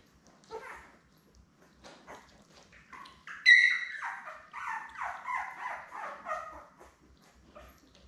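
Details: Belle's week-old Labrador Retriever litter of seven, born May 24, 2021: a few soft squeaks, then one puppy's rising whine swelling into a run of rapid wavering squeals before fading into silence.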